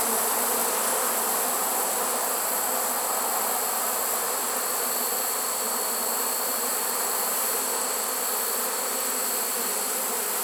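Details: Swarm of honey bees in a swarm trap on 1 September 2019, late in the season. Their buzz stays steady and low, with a faintly pulsing texture, over a continuous bright high-pitched hiss.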